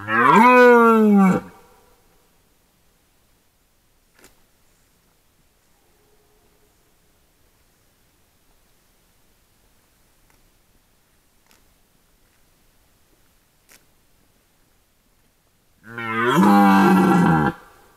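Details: Red deer during the rut, filmed by a camera trap in 2022: two loud, harmonic, bellowing roars about a second and a half long, one at the start and one at the end, with near silence between.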